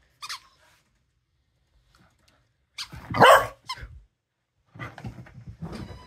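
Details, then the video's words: Pet dog barking indoors in a small room; one loud, sharp bark in the middle, with short softer yelps and grunts before and after, separated by silence. "Have you ever heard Dosa BARK before?"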